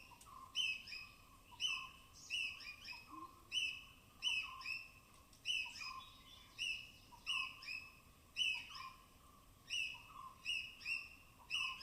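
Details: Squirrels chattering in alarm while foraging on wet branches of dense Tamhini evergreen forest, Western Ghats; rapid repeated high chips with tonal tails, close to one per second, slightly irregular spacing, quiet forest background.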